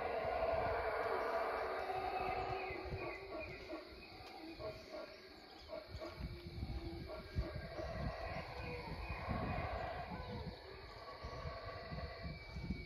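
Howler monkeys roar in a deep, rumbling chorus that swells and fades like distant wind.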